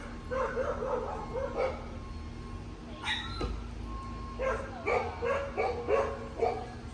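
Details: Cocker Spaniel Lola, two and a half years old, in a distractions obedience program for anxiety around new people and environments; bursts of sharp barks come in clusters, pause near the middle, then resume as rapid repeated yips over a steady background hum.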